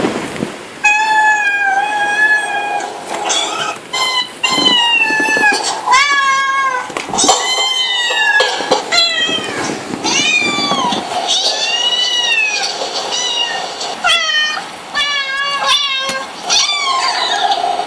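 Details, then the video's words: Cat giving a long series of loud, harmonic meows and yowls, many rising then falling, one after another with short breaths between, indoors. "Kitty noises"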